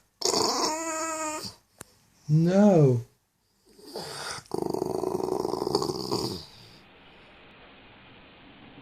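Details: Bulldog making funny noises: a drawn-out harmonic moan, then a short rising-and-falling whine, followed by a rougher, breathy grumbling vocal that fades into background hiss.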